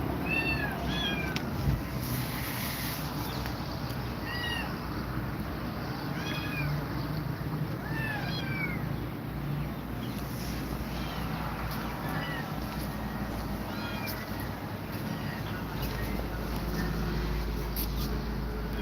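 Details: Meows from cats as Grumpy Cat is frightened by two mother cats; many brief curved meows come thickly through the first half, then thin out, with a low droning background throughout.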